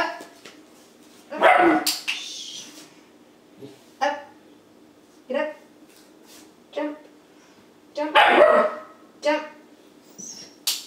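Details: Eleven-week-old German Shepherd puppy learning tricks, barking when told to speak: a few short, sharp barks spaced several seconds apart, mixed with a person's commands and praise.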